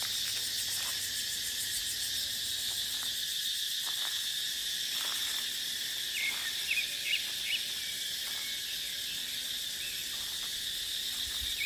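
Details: Dry-season cicada chorus from dipterocarp forest where wind also blows; a steady hissing, sizzling whine runs throughout, with soft clicks and a few brief chirps of small birds.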